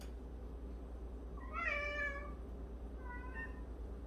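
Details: Cat from a 76-cat household where one cat daily washes its companions' faces; a clear, bright, slightly wavering meow of about one second, followed by a softer, shorter meow over a constant low hum.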